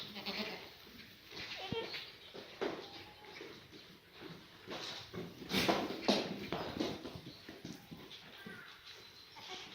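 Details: Black goats, mothers and kids in a birthing pen at Sunny's Black Goat Farm, Gimhae, South Korea, on a clear Monday morning, 4 March 2019; brief harmonic bleats early on, then scattered rustling, clattering and human speech.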